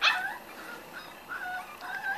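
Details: Five-week-old Corgi puppies whimper indoors in a thin, high whine that slides up and down, with a sharp yelp at the start and several drawn-out whimpers after it.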